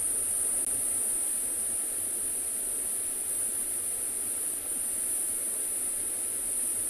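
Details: Afternoon game drive at a private game reserve in South Africa, with only a steady hiss and a faint low rumble and no animal voices.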